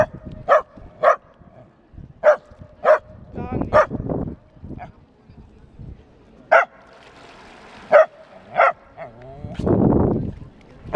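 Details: Australian Terrier Lesnoy´s James T. Kirk meeting his first fountain, barking in short sharp bursts roughly every half second to second, with a rustling splash near the end and quieter sounds between barks.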